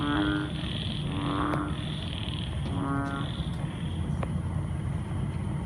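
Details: At night after a heavy downpour, frogs of different species croak together in short, nasal, buzzy bursts every second or so, over a low rumble and the hum of other creatures.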